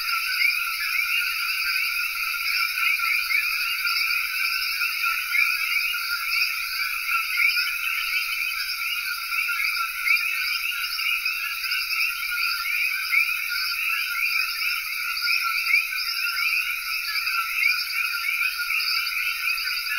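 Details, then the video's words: Long, steady common coqui chorus in Cayey, Puerto Rico. Numerous frogs chirp at once, forming an unchanging, dense band of high calls with small pulses of loudness, accompanied by a persistent high insect hiss. "Coqui Frog Chorus (Cayey, Puerto Rico)"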